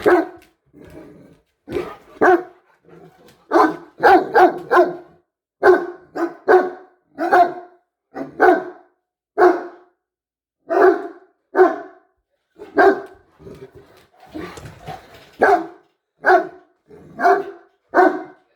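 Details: Two Great Danes give deep, hoarse, hippo-like barks and grunts, repeated roughly once a second, before turning their attention to the person filming.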